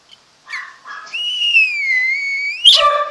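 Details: Home-raised mini pocket apple-head Chihuahua puppies in Monterrey, Nuevo León, Mexico: one long high whistled whine that dips slightly and then holds steady, preceded by brief squeaks and ending in a sharp yelp.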